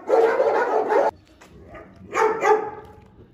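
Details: Presa Canario dog guarding its food bowl: a loud, rasping snarl lasting about a second breaks off abruptly, followed after a pause by two shorter harsh bursts in quick succession.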